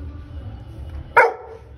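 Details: A black Labrador Retriever gives a single sharp, loud bark over a low background hum.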